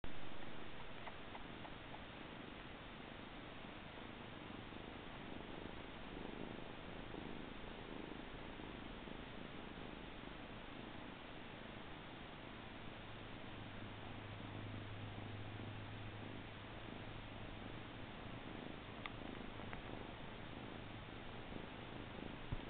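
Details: Siamese kittens Charlie and Milo, recorded in September 2013, with a low, steady purring hum running under soft indoor background noise, strongest in the latter half.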